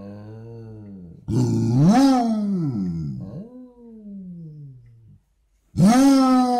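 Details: Basset hound dog in a morning vocal exchange indoors: a low moan swelling into a louder rising-then-falling howl, a softer descending wail, a brief silence, then another loud howl begins.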